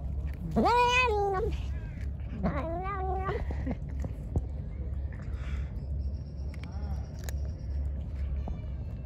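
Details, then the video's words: Angry hungry pregnant stray cat after being given food: two wavering, quavering meows about two seconds apart, the first louder, followed by quiet with steady low hum and faint clicks. "Angry poor hungry Pregnant Cat. I gave him food. Attacked me"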